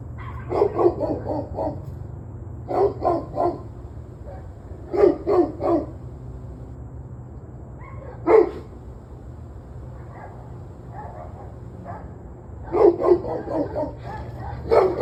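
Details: Dogs barking in the evening, sharp barks in quick bursts of two to four, separated by pauses, with a few fainter distant barks between; low steady hum underneath.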